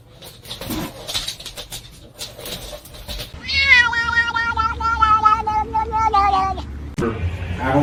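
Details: Domestic cat giving one long drawn-out meow, held steady for about three seconds before breaking off, after a stretch of voices and room noise.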